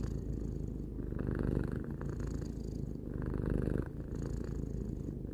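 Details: Three-year-old house cat Tarou purring: a deep, even rumble that rises and falls in alternating breath phases about every one to two seconds.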